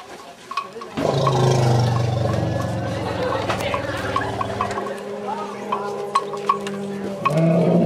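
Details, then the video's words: Asian elephants in a camp, a bystander female reassuring a distressed companion after a nearby bull's roar; deep harmonic rumbles with layered tones lasting several seconds, broken by clicks and a higher tonal call near the end. "Elephas maximus reassure others in distress"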